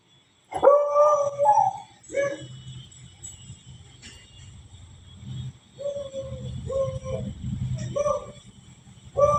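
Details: Beagle puppy Sujata and mother Manju howling: a sharp onset into a sustained, slightly rising tonal howl, then a series of shorter mournful notes repeated about once a second, over a low rumbling background.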